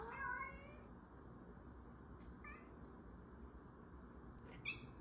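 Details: Orange cat meowing: one clear harmonic meow at the start, then two fainter, shorter meows later over a steady low hum.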